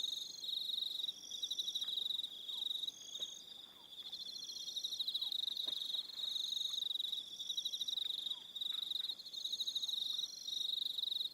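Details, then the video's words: Evening cricket chorus from Aroha Island in New Zealand, a steady high trilling of rapid pulses from several insects, rising and falling in loudness with short gaps, faint low clicks beneath. "1 Hour Relaxing Evening Sound of Crickets"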